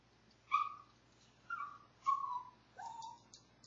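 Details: A Maltese dog howls from separation anxiety, giving four short tonal, slightly wavering howls, the last sliding upward before levelling off, with quiet gaps between them and a faint low hum underneath.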